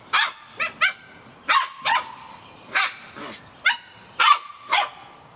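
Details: Fifty-one-day-old Samoyed puppies out in the rain, yapping in quick clustered bursts, about ten sharp yips in five seconds, a few ending in thin whining tones, rain hissing steadily underneath.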